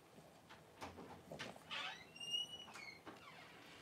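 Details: Newborn Cavalier King Charles Spaniel puppy, one of the first two born to the mother dog Paris during whelping, gives a thin, high whine that holds steady, then drops in pitch, amid soft rustling and bumps.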